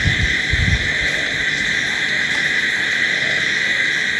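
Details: Crickets calling at night, a dense chorus forming a steady, unbroken high-pitched drone with no clear gaps, opening with a few soft low thumps in the first second.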